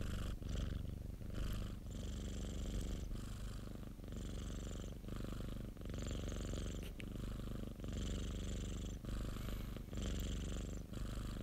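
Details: Purring of Popo, a pet cat: continuous deep throbbing rumble rising and falling with each breath, about one cycle per second, with soft breathy noise on alternating phases and a brief gap near the start.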